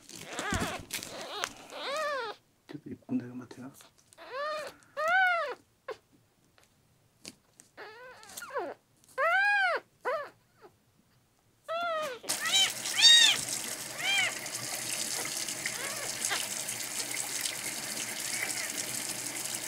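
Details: On his tenth day in care, the red tabby-and-white male kitten Miel, dehydrated and refusing milk, cries with a run of rising-falling meows between human speech, then a loud rush of running tap water takes over.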